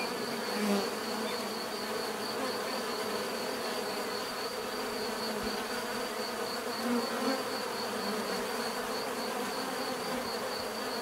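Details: Bees buzzing in a dense, steady drone, many wingbeats blending into a continuous hum with a few louder passes near the start and around seven seconds; a thin constant high tone runs throughout.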